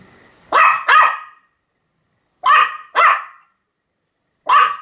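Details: Sam, a Pomeranian, barking continuously on October 7, 2015: two quick high yaps, a pause of about a second, another rapid pair, then a single bark at the end, clean against silence.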